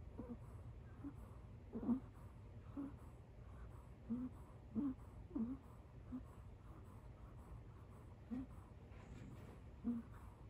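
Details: Kitten asleep on a couch gives a squeaky, wheezy snore likened to a tiny donkey's "eeyore". Short high squeaks come at uneven intervals of about one second over a low steady indoor hum.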